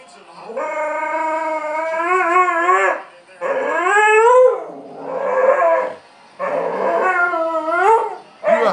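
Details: Female pet dog seeking another dog's attention, howling in long wavering tones that rise and fall, four drawn-out howls separated by brief pauses, loud and close, with a woman talking to her.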